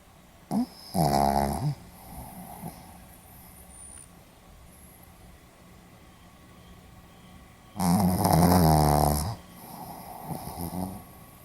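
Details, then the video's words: Pomeranian dog snoring while asleep, recorded 4 November 2015 in Hiroshima: two long rasping, buzzy snores about six seconds apart, each roughly a second long, with quiet breathing between in a still indoor room. "ポメラニアン 犬のいびき"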